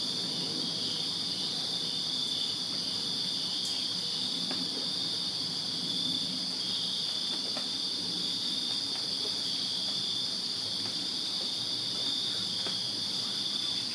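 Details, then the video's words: Crickets chirping in a backyard on a summer night in Virginia, a dense, unbroken high-pitched trill held steady throughout, with faint soft clicks now and then beneath it. "Crickets Chirping Summer Night in Virginia"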